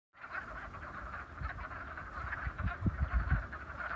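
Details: Wood frogs quacking in a vernal pond at Raccoon Wildflower Reserve, Beaver County, western Pennsylvania, on 28 February: a dense, continuous chorus of overlapping clucking calls, with louder low knocking notes close by in the second half.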